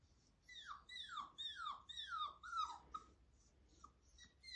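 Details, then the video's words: Five-week-old husky puppy trying to howl: a string of about seven short, whiny notes, each sliding steeply downward, repeated roughly every half second, with a thin higher overtone above each note, in a quiet room. "I try to howl.. 5 weeke Old"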